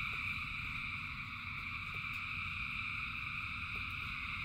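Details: Rain-soaked frog chorus from thousands of callers: steady overlapping trills form a constant high drone, over a rumbling rain background with a few distinct drip clicks.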